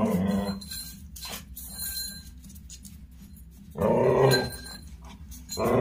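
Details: Playful growls from GB, a pet dog filmed on a phone indoors: a rough snarl at the start, a louder throaty growl around the middle, and another beginning at the end, with soft thumps between.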